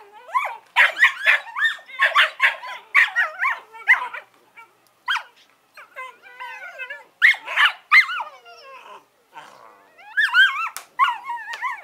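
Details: Eleven-week-old Collie puppies Norris and Amica mix fast high yaps with long wavering whines and warbling squeals that bend up and down in pitch, pausing briefly before more yelps.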